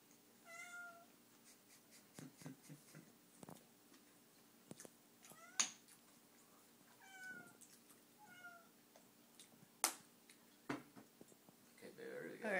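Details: Donka, a pet cat fixated on a bug indoors, lets out several short meows spread across the stretch, interspersed with clicks, taps and a rustle at the end.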